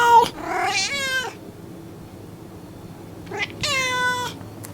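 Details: Pet cat meowing twice, each meow preceded by a brief chirp, the cries long, bright and wavering, with a stretch of quiet between them.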